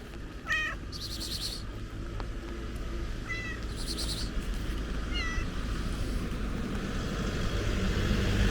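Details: Stray kitty met again as rain begins: three short, thin meows spaced a few seconds apart over a steady low rumble of rain, with occasional hissing bursts of noise.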